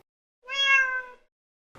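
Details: Domestic house cat giving its most common call, a meow used toward people, which grew from kittens asking their mother for what they need: one clear, tonal meow lasting under a second, held steady then easing off, in a quiet room.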